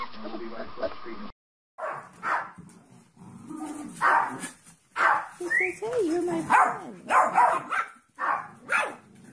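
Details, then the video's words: Puppy barking after a brief stretch of talk: rough, breathy barks in uneven bursts roughly once a second, with a rising whine and whimpering sounds between them. "Funny Puppies Barking Compilation"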